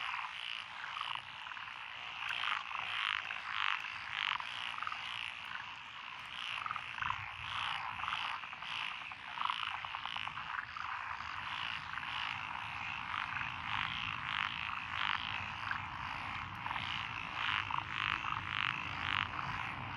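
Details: Frog chorus from lotus rice paddies along a country road in Echizen, Fukui, Japan, June 2021, with tree, pond, wrinkled, Schlegel's green and forest green tree frogs: dense overlapping croaks and bright pulsed bursts, roughly two per second, continuous.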